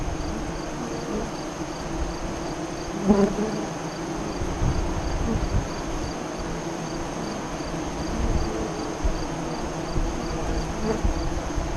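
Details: Honey bee hive entrance near Lyons, Nebraska, recorded during the 2017 eclipse: an even, low droning hum, with one sharper buzz of a bee passing close early on.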